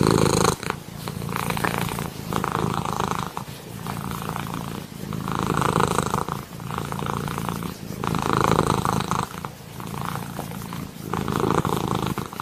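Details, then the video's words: Cat purr heard close up, a rough, throbbing rumble that rises on each inhale and exhale in slow cycles of about one and a half seconds, with no other sounds. "Cat purring"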